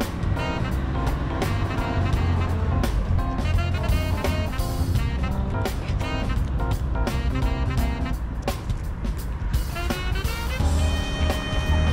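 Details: Busy jazzy instrumental music with sharp percussive hits plays over a deep low rumble.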